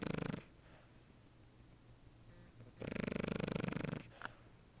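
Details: French Bulldog asleep, giving a long raspy snore lasting over a second after a quieter stretch of soft breathing, with a brief sharp snort near the end over a low background hum.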